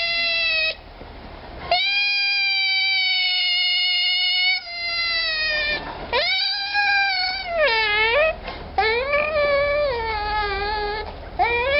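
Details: A rare baby African clawless otter sustains a high, steady, harmonic cry, then shifts into wavering, dipping and rising wails with quick breaks between them.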